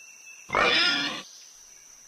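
A pig gives one harsh, nasal grunt lasting under a second. A faint steady high tone hums behind it, and a sharp click follows.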